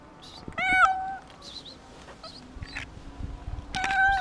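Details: A frightened, hungry cat meowing for food and reassurance: one clear, harmonic meow near the start and another at the end, with brief faint chirpy sounds in between.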